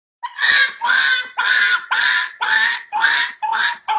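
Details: Dog making weird, funny sounds: a series of eight harsh, screechy, rasping cries, each about half a second long, repeated roughly twice a second at a steady pace, with brief silences between them.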